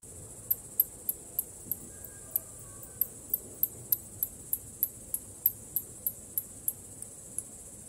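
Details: Bats producing a long, regular train of thin, high clicks, about three each second and evenly spaced from start to finish, with only quiet low hiss underneath.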